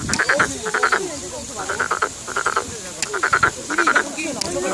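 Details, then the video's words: Frog giving rapid pulsed croaks in clusters of three to five notes, repeated roughly every half second to second, with faint human voices in the background. "개구리의 소리"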